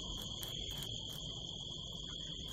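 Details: Night-time crickets in California desert hills during a harvest moon, recorded from a rooftop far from city lights: continuous shrill even-pitched trill, accompanied by a low rumble and a few loud knocking clicks early on.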